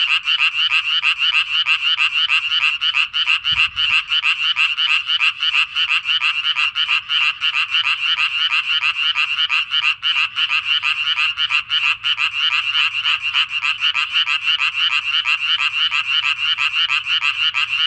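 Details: Breeding tree frog at a pond, calling in a long sustained series of raspy pulses, around three each second, dense and almost unbroken, with a brief low knock early on.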